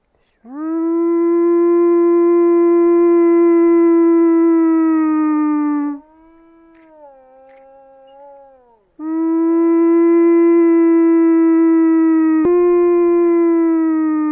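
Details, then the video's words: Wolf roaming free on the open steppe, howling: a loud, drawn-out, even-pitched tone rich in overtones lasts over five seconds and falls slightly at the end. A softer, lower wavering note follows, then a second long, level howl. "Қасқырдың дауысы | 1-бөлім | Вой волка"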